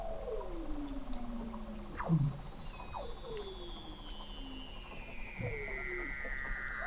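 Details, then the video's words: Weddell seals under sea ice in McMurdo Sound, Antarctica, picked up in November 2017 by the McMurdo Oceanographic Observatory 21 m below the ice; long descending whistles glide down, overlapping shorter downward sweeps and a high falling tone. "Song of the Antarctic Weddell Seal"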